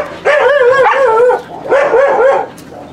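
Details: At a husky kennel visited for recall training, a dog gives two drawn-out, quavering yowls, each about a second long with a wobbling pitch and rich overtones, separated by a short pause and followed by quiet.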